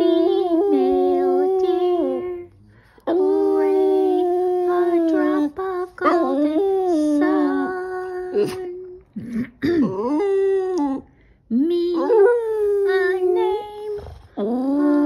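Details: A Boston Terrier sings along to "Do-Re-Mi" from The Sound of Music, howling in long, tuneful, wavering notes that rise and fall in short phrases over the music.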